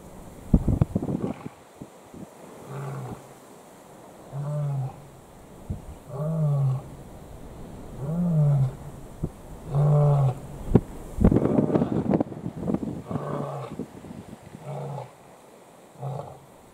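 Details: Male lions competing for one lioness in Kruger National Park, South Africa, give a series of deep, harmonic roaring moans, each about a second long, repeated every one to two seconds, with brief rustling and louder grunting bursts between them.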